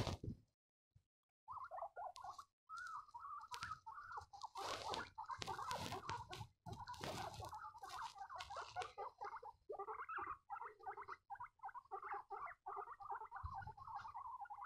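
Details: Baby guinea pigs squeaking: a near-continuous stream of short, chirpy mid-pitched squeaks in quick runs. Loud rustling, knocking bursts of handling or movement cut through the middle stretch, and a brief silence precedes it.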